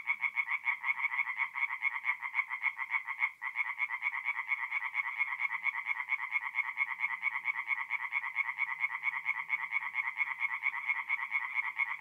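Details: Tree frogs calling together by night at a forest pond in north-east Italy in mid-April: unbroken, rhythmic rasping pulses at a steady quick rate, with a brief dip near the start and faint low background hum.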